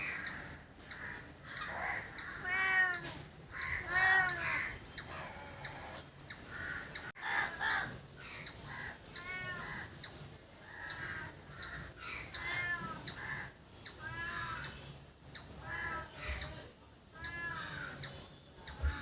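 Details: Squirrel in a village setting giving sharp, high-pitched chirps repeated steadily about every 0.7 seconds throughout, with crows cawing and other birds calling in the background.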